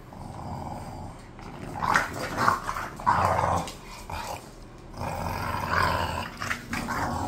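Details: Khan and Ali, two bored pet bulldogs, keep up a near-continuous rumbling growl with rough swelling pulses and a brief lull near the middle.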